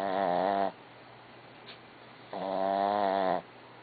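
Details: A sleeping dog snoring: two drawn-out, nasal, whistling tones of about seven tenths of a second each, rising slightly then steady, separated by a long quiet pause in a still indoor setting.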